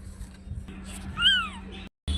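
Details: Small kitten mewing once: a single high, arched mew rising then falling, over a low indoor hum with faint background voices.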